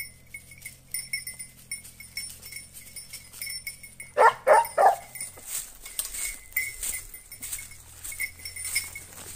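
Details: Segugio Italiano dogs during hunting training on hare give a tight cluster of three or four loud, hoarse barks in under a second, amid steady high-pitched ringing and scattered faint noises.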